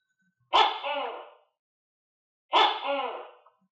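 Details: A captive tokay gecko that was recently dewormed, now feeding itself on crickets and housed with other geckos, gives loud, harsh two-part barking calls, each about a second long, repeated after a pause.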